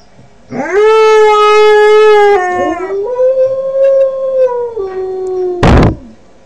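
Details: Five-month-old Northern Inuit dog learning to howl, giving a sustained tonal howl that rises sharply, holds level, dips, then swells again and wavers before falling away, ending with a brief loud noisy burst.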